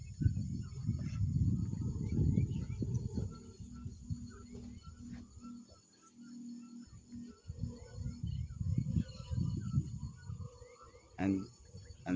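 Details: In forest canopy atop a ceibo tree, a red howler monkey's deep rumbling roar rolls in from a distance in long low surges, over scattered yelping and chirping bird calls, including toucans.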